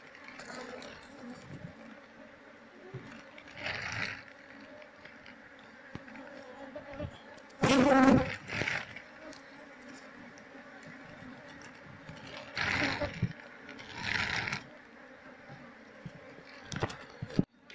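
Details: Asian honey bees (Apis cerana) after their combs are removed from a speaker box while the queen is sought; continuous low humming drone broken by loud rustling and scraping bursts of handling.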